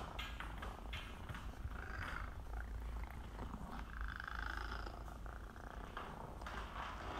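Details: Female Scottish Fold cat, a rescue from a collapsed breeder who had IMHA and once hissed a lot but grew gentle, purring: a steady low rumbling purr runs throughout the recording with faint soft broadband noise above it.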